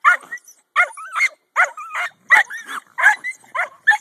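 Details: Jack Russell Terriers working at a stump where a raccoon hides, after snowfall. Quick yapping barks roughly every half second, with short whimpering whines slipped between them.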